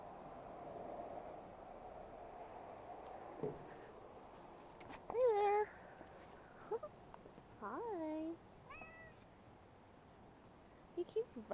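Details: A large, friendly cat that wandered into a yard, rubbing against people who play with it; several short rising-falling meows and chirps, one fairly loud near the middle, with people talking quietly around it.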